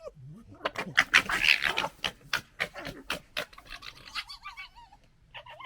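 A fox chatters in fast, stuttering bursts of harsh clicks, the gekkering used in fighting and settling rank. Toward the end the sound turns to thin, wavering whines that rise and fall.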